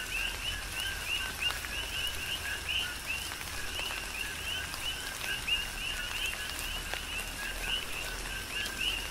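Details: Coqui frogs calling during a tropical rain shower on the Big Island, Hawaii: a dense chorus of overlapping two-note chirps, each ending in a rising upper note, repeated constantly over the steady patter of raindrops and a low rumble.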